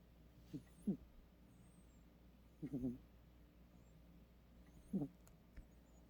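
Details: A cat snores while asleep, giving low raspy pulsed snores in bursts roughly every two seconds, some doubled, in a quiet indoor room with faint background hum.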